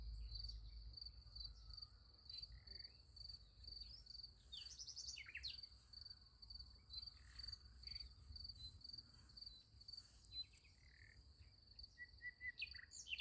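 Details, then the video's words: Crickets at night beside a sunflower field: a steady, high, finely pulsed chirping drone runs through the whole stretch, with scattered brief higher chirps from other callers and a low background rumble. "Nice Sunflower Field with Crickets Sound Effect"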